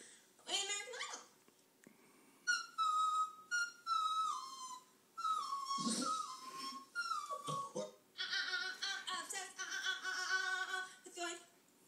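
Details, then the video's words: Pet dog howling at a woman singing on television during 2011 Nashville auditions; drawn-out tonal wails sliding downward in pitch, repeated in several bursts over the singer's voice and TV sound. "Dog howling at a horrible American Idol singer"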